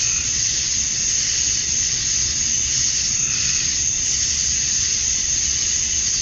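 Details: Cicadas at dusk on a Georgia summer night, USA, where males sing to attract females: a thick, even wall of high-pitched buzzing with gentle waves of loudness and no breaks.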